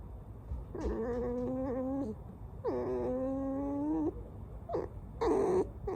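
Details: Alice the pet fox gives two long, steady squeaking whines, each over a second, level then slightly sliding, followed by a short sharp squeak and a brighter, harsher yelp at the end.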